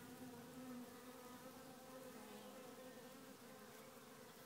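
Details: Queenless honey bee swarm inside a small hive, humming continuously: an even, low droning buzz with layered steady tones, loudness nearly constant across the few seconds, no other sounds.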